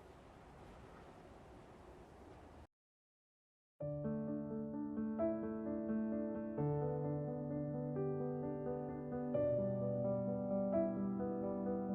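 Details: Soft background noise, a brief silence, then gentle electric piano music with sustained chords; no animal sounds are heard.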